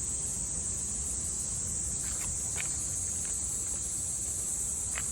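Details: Japanese summer cicada song, recorded in 2022: a continuous shrill buzzing drone with no pauses, a few faint short clicks and taps beneath it, and a low rumbling backdrop.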